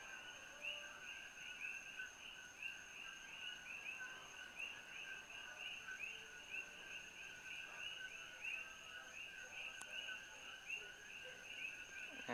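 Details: A dense evening chorus of coqui frogs at Holualoa above Kailua-Kona, Hawaii, each giving a sharp two-note "ko-kee" chirp over and over; introduced invaders, here fewer and quieter than around Hilo.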